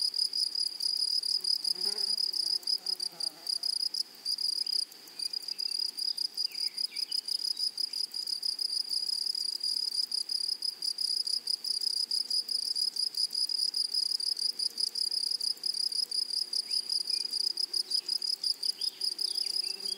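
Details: Meadow grasshoppers in flowery prairie grassland give a steady, piercing high trill of fast regular pulses, unbroken throughout, with a faint upper overtone and occasional soft low background sounds.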